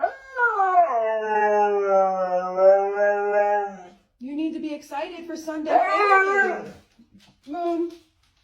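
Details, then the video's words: Siberian Husky howling indoors while being told to get ready to go: a long, steady, rich harmonic howl for about four seconds, then shorter wavering, rising-and-falling vocal moans after a brief pause. "Crazy Husky Howling"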